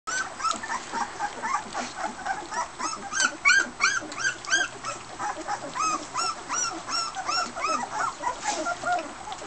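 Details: Border Collie pups at dinner with their mother Fearne, one pup wandering after eating; rapid high arched whines and yelps repeat about three times a second, with harmonics, over soft clatter of feeding.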